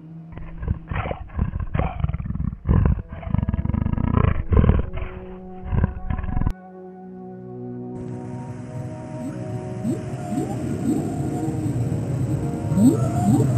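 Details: A lion (Panthera leo) gives deep, rough roars in repeated bursts, with a music bed behind.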